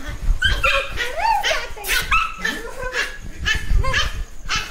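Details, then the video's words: Young dog, angry and warning against being touched, giving a fast run of high, yelping barks and whiny rising-falling cries, about two each second, with faint human voices in the background. "Don't touch me else i will bite you | angry young boy"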